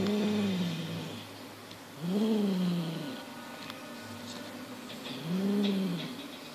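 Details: Highland Lynx cat Monty, six months old, guards a fox tail in play, uttering three deep, rising-then-falling growl-moans spaced about two to three seconds apart over a soft steady background hum.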